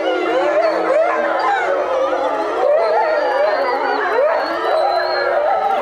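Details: Captive European wolves howling as a group at Tama Zoological Park, Japan; sustained layered howls with repeated upward swoops and wavering notes, one high thin voice above a steady lower tone.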